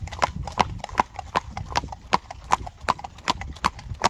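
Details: Steady clip-clop of a Friesian horse's hooves: crisp knocks in a regular rhythm, often paired, about eleven strikes in four seconds, with a soft low rumble underneath.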